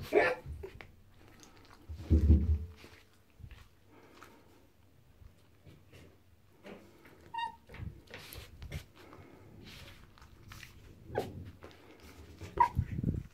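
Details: Female pet fox Tiki guards a found bar of soap indoors in a bathroom. Scattered short rough bursts of growling and yapping, one brief high tonal note midway, with rustling and handling noises between.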